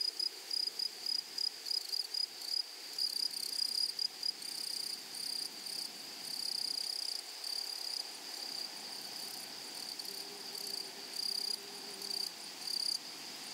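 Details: Grasshoppers in a flowery meadow or prairie, wild: high, thin buzzing stridulation in short irregular bursts over a steady shrill background hum, with a faint lower tone appearing briefly near the end.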